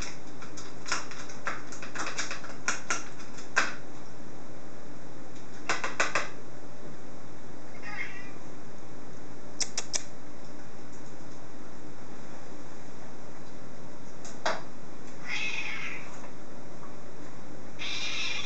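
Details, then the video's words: Porgy, a hungry British Blue cat, asks for supper indoors with a few short, faint, mid-pitched meows spaced several seconds apart, mixed with bursts of sharp clicking and tapping. "British Blue Meows for Supper 2 - Porgy meows again"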